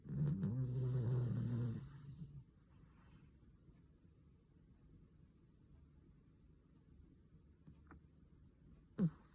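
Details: Cavalier King Charles Spaniel asleep and snoring hard: a loud, low, vibrating snore lasting about two seconds at the start, then quiet breathing and near silence, ending with one short sharp click.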